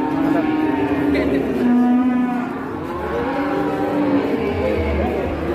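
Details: Cattle at an Indonesian livestock trading scene. Several overlapping moos, some held on a flat tone and others bending up and down, sound over a steady low rumble.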